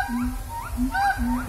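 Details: Siamangs in their shelter at a safari park call noisily to communicate, giving loud, rising whooping swoops over steady, droning lower notes in quick succession, echoing far around.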